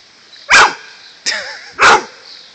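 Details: Howard the dog, at a lake house, baffled by seaweed he sees underwater, gives two sharp, loud barks about 1.3 seconds apart, with a softer, wavering voiced sound between them.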